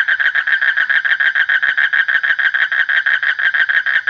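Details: Frog giving a continuous run of loud, rapid, grating pulses at a fairly even volume throughout.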